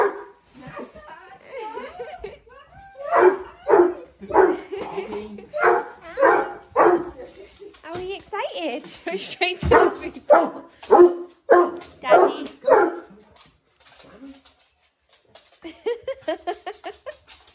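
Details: A Basset Hound puppy gives a run of excited whines and yips, greeting its owner home after weeks away; Basset Hound.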